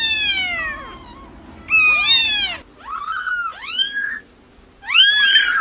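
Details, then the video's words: High-pitched kitten mews, a long descending cry followed by shorter arched calls in bursts, some overlapping, with brief quiet gaps between them. "Kittens meow"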